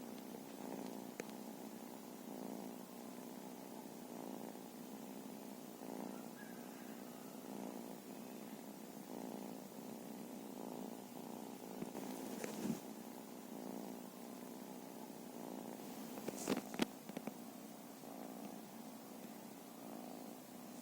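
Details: Purring from feral cats, a long even rumble pulsing with each breath roughly every couple of seconds, with occasional sharp clicks and rustles.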